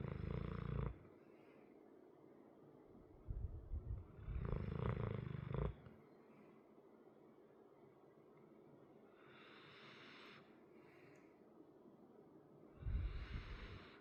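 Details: Deep snoring from a big sleeping dog, a 100-pound male with a chronically crusty nose: long, rough, low rumbles, two drawn out over about a second each, then a quieter stretch and a final snore rising at the end.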